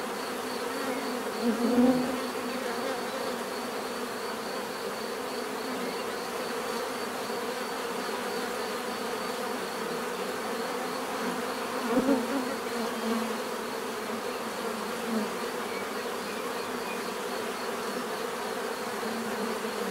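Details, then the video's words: Bees droning in a constant low buzz, with two brief louder passes of a single nearby insect near the start and middle. "bees therapy relaxing natural buzzing sound"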